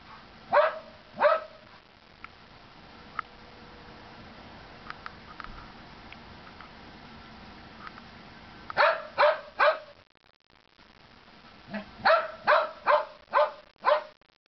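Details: Chihuahua and Norwegian Elkhound at play in snow during the Big Freeze of 2010; two sharp barks, a long quiet stretch with faint ticks, then rapid bursts of three and five barks.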